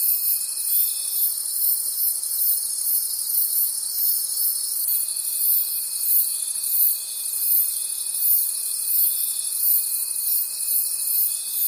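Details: Crickets calling in a forest after dark: a shimmering high trill throbbing in steady beats about three times a second, and a thin level tone that drops out early then returns midway.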